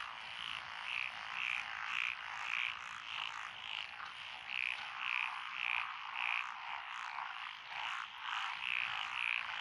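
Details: Frog chorus in lotus rice paddies along a country road in Echizen, Fukui, Japan, recorded 12 June 2021; dense steady croaking fills the background while a louder caller repeats short bright notes about twice a second.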